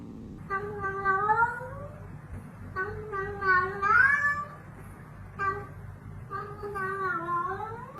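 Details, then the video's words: Domestic cat talking indoors: three drawn-out, wavering meows, each over a second long, rising then falling, separated by short pauses, with faint room noise. "just some cats talking"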